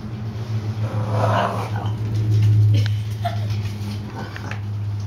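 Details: Bulldog Bowser play-fighting with young cousin Hamboy, another bulldog, in a mock wrestling bout; low steady grumbling and soft whimpering tones run throughout, with brief human voices.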